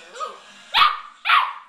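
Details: Foster puppy playing indoors with another dog that just took his toy, wanting it back: a faint whine, then two short, sharp, high barks about half a second apart.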